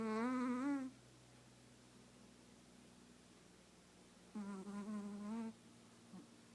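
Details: Chihuahua dozing snuggled against its owner: a buzzy, slightly rising snore opens, then after a quiet pause a second wavering snore follows, with a soft low hum steady throughout the small room.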